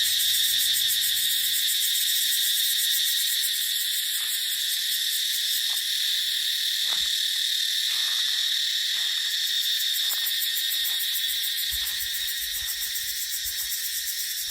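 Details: Cicadas singing in dry dipterocarp forest during the dry season: a dense, unbroken high buzz with a fine rapid pulse throughout, plus faint low rumbles of wind gusts near the start and end.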